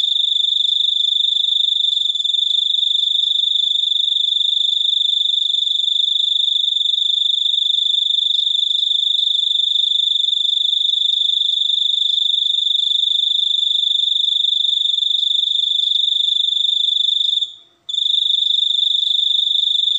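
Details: Cricket singing a continuous, shrill, high-pitched trill that holds steady and drops out briefly near the end before resuming.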